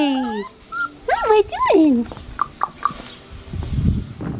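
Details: Blue merle male Australian Shepherd puppy whining: a high, falling whine, then two arching rise-and-fall cries and a few short squeaks, followed by rustling and a woman's soft, cooing voice.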